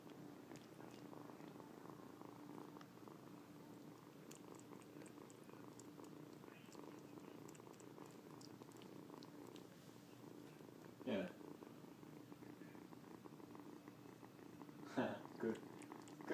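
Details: Young male cat, likely weaned too early, kneads and licks its owner's lap and legs as if nursing and keeps up an even, low rumbling purr. Two brief rustling or bumping noises break in near the end.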